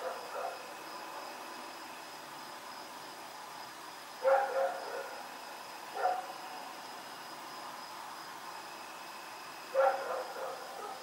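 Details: Night recording of Rex the dog running around, October 7, 2018: isolated sharp barks spaced a few seconds apart, one faint at the start and three louder ones, over a quiet constant hum.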